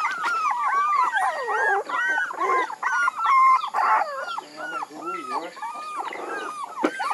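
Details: Puppies crying in loud, overlapping whines, some dipping low and sliding back up, filling the whole stretch almost without pause.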